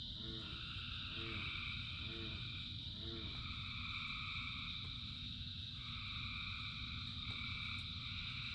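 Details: Frogs calling in the rain. Four short, lower, nasal croaks repeat about once a second at the start, set against a dense background chorus of buzzy trills from many frogs and constant rain noise.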